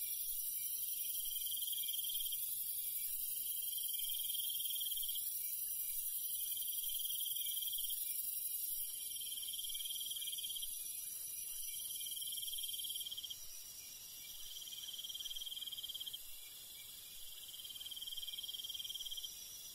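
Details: Countryside crickets at night give short pulsed trills roughly every one and a half seconds, evenly spaced, over a constant shrill insect background that thickens partway through.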